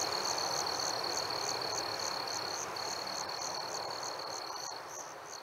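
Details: Summer-night crickets amid fireflies, giving quick high chirps at roughly three and a half per second above a continuous thin tone. A broad rushing wash of background noise fills the lower range.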